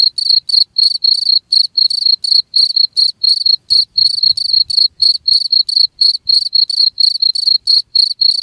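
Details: Cricket chirping steadily: high, shrill pulsed bursts repeated about four times per second with brief silent gaps, a continuous even rhythm and no other sounds.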